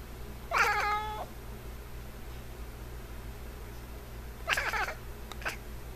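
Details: Pet F6 Savannah cat indoors: one drawn-out, bright meow near the start, then silence, then a second shorter meow followed by a brief chirp, over a low constant hum.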